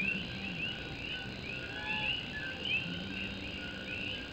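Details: Puerto Rican coqui frogs singing on a rainy night in Morovis, Puerto Rico: a steady chorus of short, rising high chirps overlapping throughout, over the constant hiss of rain drumming on an old tin roof.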